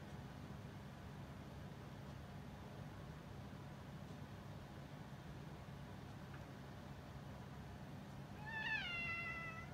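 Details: A former stray orange tabby cat, now a house cat, being affectionate toward a younger cat gives a single bending meow near the end after quiet with a low background hum.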